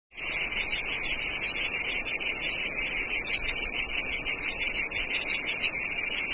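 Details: Jungle cicadas give a steady, high-pitched electric buzz that holds unbroken without pause.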